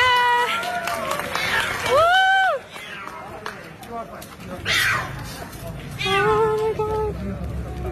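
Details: Splashed cat meowing as it asks for help, with short arched, rising-then-falling meows around the second second and a wavering series of meows near the end, mixed with human speech and bustling background noise.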